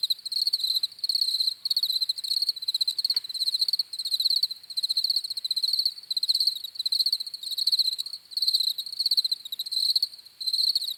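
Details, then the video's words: Chirping crickets heard as rhythmic trains of rapid, high-pitched pulses, roughly one burst per second with short pauses, several insects overlapping in a quiet background. "CRICKETS CHIRPING SOUNDS"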